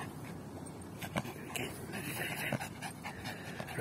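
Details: Yorkshire Terrier in action fetching a ball, breathing in short huffy pants while a man cheers it on. Faint high squeaky tones run through the middle.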